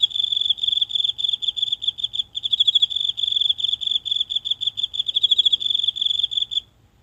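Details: Lone insect in the grassy patch of a tiny home garden, heard at night and recorded up close with a phone. A continuous high-pitched chirping trill of rapid pulses for six seconds, then it stops; the night is otherwise silent.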